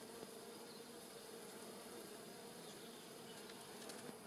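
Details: White-tailed bumblebees with honey bees buzzing around rosemary in a Polichnitos village garden on a sunny early-November day in 2020. A constant droning hum is heard, with faint, brief rises in pitch as insects pass.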